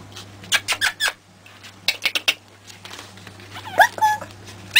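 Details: Pekingese pups aged three weeks squeak sharply in short bursts amid clattering knocks and shuffling, then two high sliding whines near the end; a low hum runs underneath.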